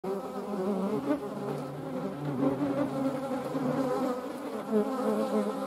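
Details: Steady, deep droning buzz of European hornets, filmed together with median wasps, with a low harmonic hum that rises and falls slightly in loudness throughout.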